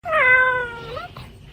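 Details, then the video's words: Domestic cat giving one loud, sustained meow lasting about a second, steady in pitch with a slight rise at the end, followed by a soft trailing sound and quiet room noise. "Very Funny Cat Sounds & Behaviors"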